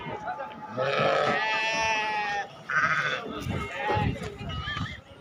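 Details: Livestock market at Atpadi for goats and sheep, 15 July 2024: a loud, long quavering bleat lasting over a second, then a shorter nasal one, with people talking nearby throughout.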